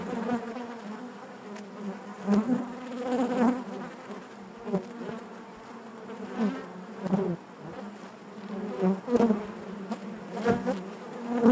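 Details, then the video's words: Honey bees humming in their hive, a continuous mid-low drone with layered harmonics, dotted every second or two with brief louder buzzes as nearby bees move about. "bees therapy hive natural buzzing sound"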